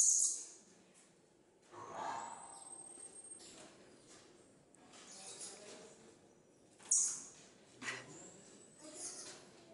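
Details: Cotton-top tamarins (Saguinus oedipus) at Safari de Peaugres zoo, Ardèche, France, give cries: thin, very high whistles and sharp chirps over soft background noise.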